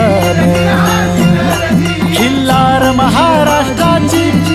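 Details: Jingling bells and a rhythmic, droning instrumental track with repeated tones play throughout; no animal voice is heard.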